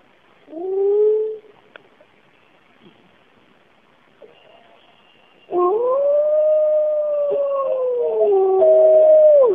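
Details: Bays Mountain wolf pack, recorded in 2010, howling in the cool morning: a short rising howl, a pause with faint distant voices, then a long sustained wavering howl overlapping other pack members.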